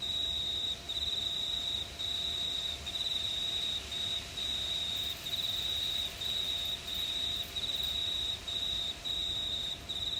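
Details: Crickets calling on a warm summer night in regional New South Wales, Australia; a high, pulsing trill cut into bursts of about a second with short silences, steady and rhythmic, faint hiss underneath.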